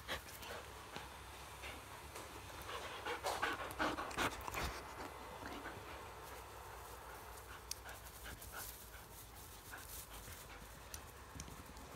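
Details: Belgian Malinois, a new addition to the family, panting: rapid breathy pulses at about two to three per second, fairly regular, with a louder burst of huffs near the middle over steady background hiss.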